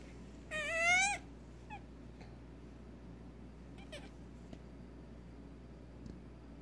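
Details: Female Nigerian Dwarf goat kid, just over six hours old, unable to walk or feed on her own and being syringe fed colostrum, gives one wavering, rising bleat lasting about half a second, then faint rustles in a quiet room.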